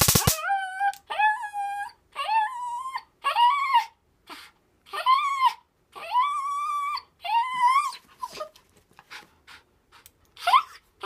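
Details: Worked-up nine-year-old female dog wanting a taser whines in a steady series of drawn-out, high, slightly wavering cries about once a second, after an opening taser crackle, trailing off into quieter whimpers.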